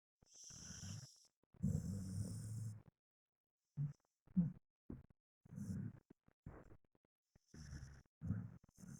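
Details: Pet dog snoring while asleep: low, rumbling snore bursts lasting from a fraction of a second to over a second, coming in an uneven series with short silent gaps between breaths, some carrying a faint high hiss.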